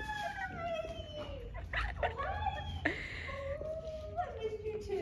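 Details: Nola, a Goldendoodle, reunited with her owners after dog training: long high whining cries that slide downward and rise again, sustained and overlapping, with excited human voices close by.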